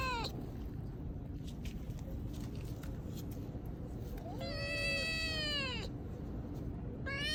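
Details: Stray cats, brothers, meowing: a short cry at the start, then a long sustained meow that bends downward at its end, and another meow beginning at the close, with scattered clicks and a low background hum.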